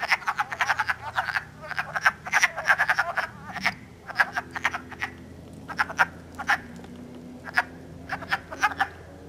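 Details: Wood frogs calling and mating on March 3, 2012, in Elmer, New Jersey, early in the spring. Recorded on an iPod. A chorus of short, hoarse, duck-like clucks comes in bursts and scattered overlapping notes. A faint low hum runs underneath.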